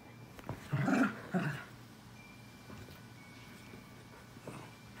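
A dachshund gives two short, gruff barks close together, then falls quiet with faint background hum.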